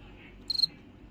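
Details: A male cricket gives one brief chirp while cleaning his body, described as a happy sound: a pure, high-pitched tone broken into four quick pulses.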